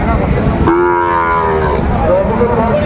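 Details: Cattle at Raniganj market, Dinajpur, Bangladesh, with Sahiwal bull calves for sale on a December Monday; a sudden, brief moo lasting about a second breaks in after crowd noise, followed by voices and distant tones.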